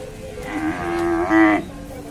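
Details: Bull or bullock at a cattle market in Bangladesh, among large Indian bullocks on sale, giving one drawn-out moo with a rising, harmonic-rich middle and a louder final push, crowd murmur underneath.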